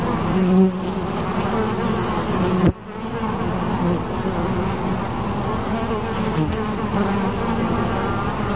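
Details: Bees buzzing in a deep, constant drone, individual insects drifting closer and away; a short sharp knock interrupts briefly before the hum resumes.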